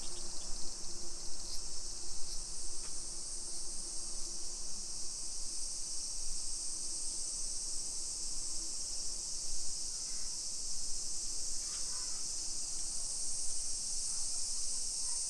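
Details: Chorus of summer cicadas along hillside residential streets in Nisshin, about 20 km from downtown Nagoya, Japan, on 28 July 2021 at midday: an unbroken shrill high drone with light footsteps and a brief low tone.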